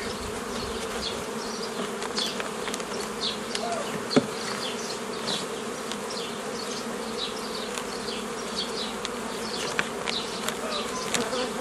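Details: Many honey bees buzzing as a beekeeper forms nucleus colonies from a previously made forager swarm, 15 May 2018; a constant droning hum with rapid passes of individual bees and a few sharp knocks.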